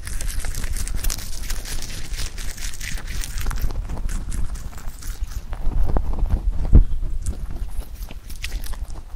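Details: Pet rabbit Huchu munching clover, recorded close for ASMR; steady soft chewing and crunchy bites with leafy rustle, one sharper snap near the end.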